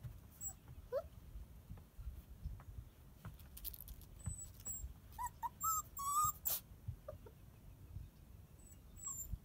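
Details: Fancy Pants, a 7-week-old female Border Collie puppy, gives a few soft, high whimpering squeaks: a rising whine near the start, then a cluster of short whines midway, between scattered clicks and rustling handling noises.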